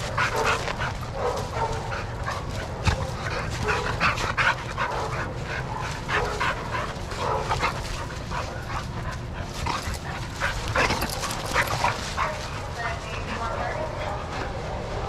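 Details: Several dogs playing together in a shelter yard at Pima Animal Care Center, Arizona, watched by handlers; sharp, scattered barks burst out irregularly throughout, over a steady murmur of yard noise and movement.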